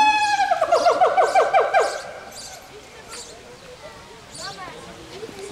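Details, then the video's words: A pair of siamangs sing their song, a loud, rapidly pulsing call that fades into softer rising and falling whoops. "Singing siamangs"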